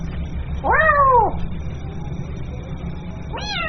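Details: One drawn-out, arching meow from a kitten calling its mother, rising then falling, followed by the start of another higher meow, with low hum underneath.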